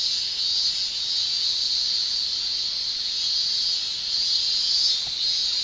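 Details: Male Japanese cicadas singing in summer, their tymbal song forming a continuous, high, hissing shrill with slight slow swells and no other clear sounds.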